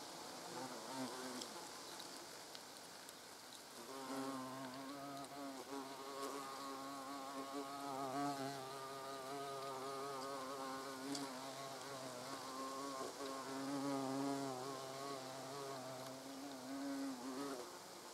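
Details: European hornets at the nest entrance: quiet rustling for about four seconds, then a loud, sustained wing buzz sets in, a deep wavering hum from several hornets that continues to the end.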